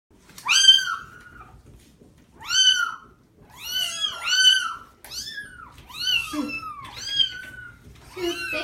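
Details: {'caption': 'Six kittens screaming while being given a bubble bath as their mother watches; loud, wavering harmonic meows, rising then falling, repeated roughly every second, several voices overlapping.'}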